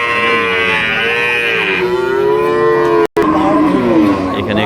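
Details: Friesian dairy cows for sale at Ambari cattle market: a loud, long, harmonic moo lasting about three seconds, sliding slightly lower then holding steady, followed after a brief cut by busy market background noise.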